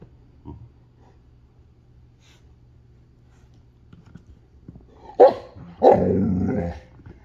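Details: Alaskan Malamutes, puppies, talking: a short sharp yelp followed by a longer rough woo-like growling vocalization of under a second, after several seconds of near quiet with a low steady hum and faint music.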